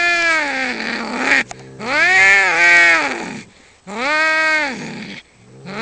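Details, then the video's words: Two male cats fighting over territory just outside a home, giving long wailing yowls that rise and fall in pitch, drawn out over about a second each with short gaps between. "Two cats fighting and making wierd noises"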